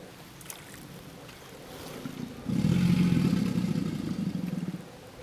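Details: American alligator bellowing in the Myakka River, Florida: after faint rumbling, a deep, loud, vibrating roar starts suddenly and holds for about two and a half seconds, throbbing rapidly, then fades, with soft water and outdoor background.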